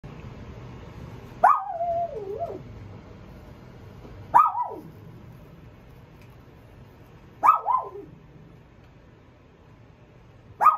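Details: Fluffy-coated female Pomeranian puppy born at the shop gives four high whining yelps about every three seconds, each starting sharply then sliding downward with a wavering tail, in an otherwise quiet room.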